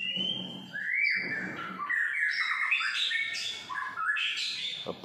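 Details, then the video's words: Pet long-tailed white-rumped shama in morning song outside an apartment in Singapore: a sliding whistle, then a dense jumble of bright warbles, chips and squawky notes, with a sharp knock at the close. "Murai Batu ekor panjang"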